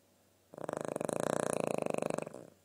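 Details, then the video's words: Dog asleep and snoring. A single vibrating snore with fast buzzing pulses swells and holds for nearly two seconds before stopping abruptly. "the snoring dog"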